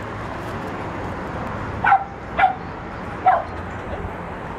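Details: Cardigan Welsh Corgi puppies meeting the world at a dog park in Tel Aviv, Israel, on New Year 2015: three short, sharp, high yipping barks spaced irregularly over constant outdoor background rumble.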